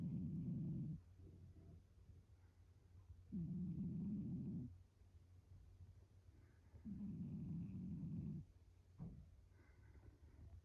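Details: Shiro, a pet cat curled up like an ammonite on a round stool with its back turned, sleeps and snores: low, rough, rumbling breaths over a second long, repeating about every three seconds in a quiet room.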